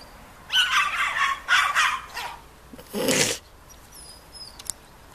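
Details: Tibetan Terrier courting at a breed meeting in Diszel, Hungary, in August 2014: three strained, yappy yelps in quick succession, then a louder, harsher bark after a short pause, with faint thin whistling sounds afterward.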